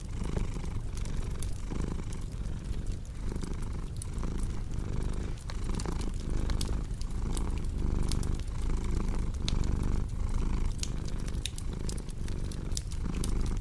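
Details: Low, rolling cat purr with regular breath-driven swells, set against a crackling fireplace whose sharp pops and snaps recur through the whole stretch.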